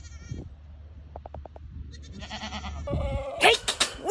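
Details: Playful myotonic fainting goats bleat in wavering, harmonic-rich cries, with a run of short pulses and a louder, harsher bleat toward the end, while a person talks nearby.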